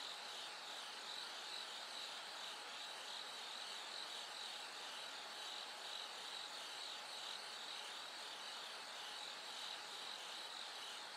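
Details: Bell cricket singing at night as it gradually grows brighter toward dawn: short high ringing pulses repeat about twice a second over a steady hiss of other insects, with a faint constant tone underneath.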